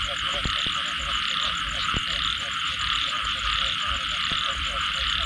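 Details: Frogs after rain give rapid repeated croaks amid a thick high buzzing chorus, with several sharp knocking clicks scattered through.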